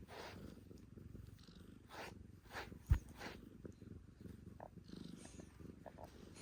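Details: Male calico cat purring steadily while being brushed, a deep continuous rumble with a few soft brush strokes and one sharp click.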